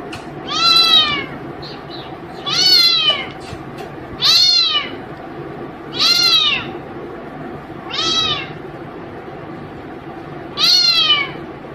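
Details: Six clear, arching meows from a pet cat at play, spaced roughly every two seconds, each rising then falling in pitch, over a faint steady indoor background.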